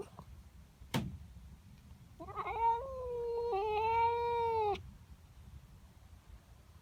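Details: Morning yowl from a female pet cat annoyed by a neighbour cat in her garden: after a sharp knock, one steady drawn-out wail of about two and a half seconds with a slight dip midway.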